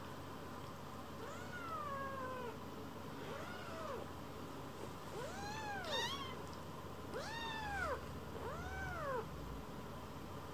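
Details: Rescued kittens seeking affection on a lap, timid Leo rolling belly-up as Pon and Chiro join; five or six clear bowed meows, each rising then sliding down, spaced about a second apart, with low room hum.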